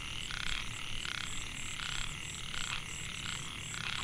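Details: Narrow-mouthed frog, Microhyla pulchra, in a Mae Hia rice field near Chiang Mai, Thailand, 2014; males call to attract females. Rasping, buzzy croaks repeat roughly every 0.7 seconds over a constant high-pitched trill.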